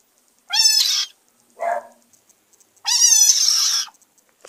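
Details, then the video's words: A frog screams twice, each cry a loud, nasal, harmonic squall of about half to one second. A shorter, lower, rougher sound falls between them, and a steady faint high hum runs underneath. "11 Minutes Of Screaming Frogs Compliation"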